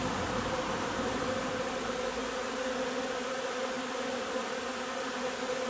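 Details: Honey bees at the hive collecting linden nectar on 3 June, heard as a continuous, uniform buzzing drone with a steady low pitch and no breaks over several seconds.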